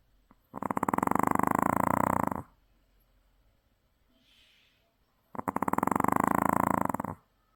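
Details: After a day at the sea, a worn-out Maltese sleeps soundly and gives two heavy, rattling snores, each lasting about two seconds, with a quiet gap and a faint soft breath between them.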